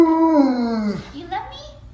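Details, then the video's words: Siberian Husky talking indoors: a single drawn-out, smoothly falling moan lasting about a second, followed by quieter broken vocal sounds. "Talking Siberian Husky"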